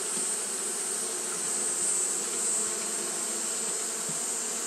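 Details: Steady wing-fanning hum from Japanese honey bees on a hot day, low and continuous with slight swells in volume, accompanied by an unchanging high hiss.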